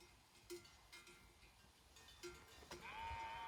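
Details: Grazing sheep herd in Romania's Făgăraș Mountains: scattered clanking bells ring through the first seconds, then a single sustained, nasal bleat holds a steady pitch at the close, rising loud over the bells.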